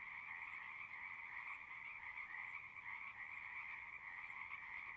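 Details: A dense chorus of singing frogs forms a steady, unbroken trill in two bright pitch bands, one mid and one higher, with no pauses and no other sounds standing out.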